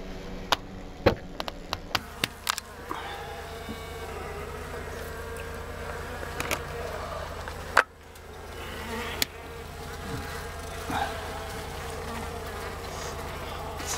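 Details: Western honey bees from a four-year-old wild hive beneath a mobile home, 2 by 2 by 10 feet and almost 200 pounds; even buzzing drone interrupted by sharp taps and knocks early on.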